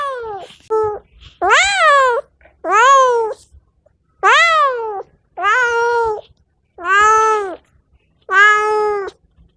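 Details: Domestic cat meowing, a sound used to attract other cats: about seven drawn-out, harmonic-rich meows, each rising then falling in pitch, repeated roughly every one to one and a half seconds in a quiet indoor setting.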